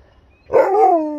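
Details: Husky giving a short, loud howl-like yelp that rises quickly and then slides downward, a clear tonal voice with stacked overtones, sounding in a quiet room during a hide-and-seek game.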